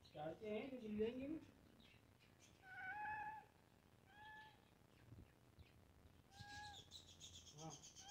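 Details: Pet cat, one of a pair, with three short level meows spaced over several seconds, preceded by a low wavering voiced sound and ending with a faint high hiss-like background.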